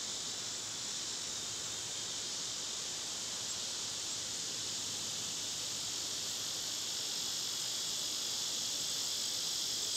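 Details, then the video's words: Summer cicada chorus outdoors near feeding birds and squirrels, one continuous shrill, hissing buzz at constant loudness from start to finish. "Birds & Squirrels w/ Cicada sounds"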